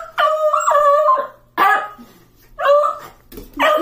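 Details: A beagle lets out a series of long, wavering howls that rise and fall in pitch in reply to being told he is going to Grandma's today.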